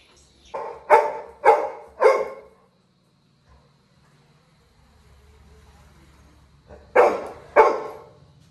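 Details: Labrador Retriever puppy in a village, crying after his brother left the house: four loud, harsh yelping cries about half a second apart, a quiet pause with faint rumble, then two more yelps.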